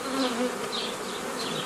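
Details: Steady droning hum of honey bees on 15 May 2018, while nucleus colonies are made in the traditional manner from an earlier forager swarm; a dense, even buzz with faint chirps from birds above it.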